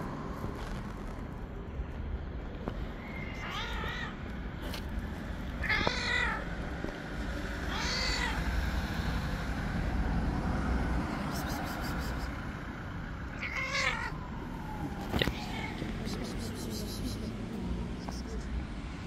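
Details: Wild, angry white stray cat living on the street, never willing to be tamed, lets out five or six harsh, quavering yowls spaced a few seconds apart, each wobbling in pitch, while traffic rumbles steadily behind.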